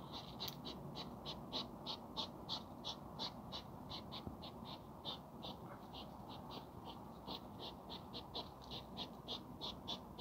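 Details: Nighttime hedgehog mating ritual, with a quick train of short puffing snorts repeated roughly three per second, sometimes in tight pairs, above a constant low rumble of background noise.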